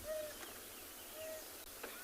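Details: African wild dog puppy at a den site in a South African private game reserve gives its "hoo" contact call, two soft, steady hoo notes about a second apart, on a morning safari, 13 December 2020.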